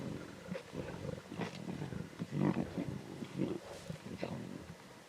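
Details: At a zebra carcass in the Timbavati, lion cubs give intense snarls and growls: harsh, throaty bursts peaking midway, overlapping one another, with a brief human voice far behind.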